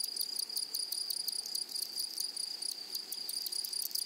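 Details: High, even buzz of grasshoppers in a flowering meadow, broken by crisp rhythmic chirping pulses in small clusters; the scene is otherwise quiet.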